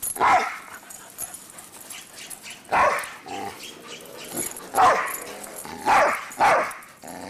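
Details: Two dogs running around making noise, irregular barks scattered through the recording, some in quick pairs, with scuffling and background noise between them.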